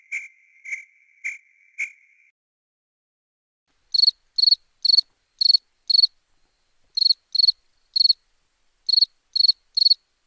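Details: Crickets at night: four lower, tonal beeps open the recording, then a pause, then sharp high chirps arrive in bursts of three or four, each a short bright pulse, with silence between the groups.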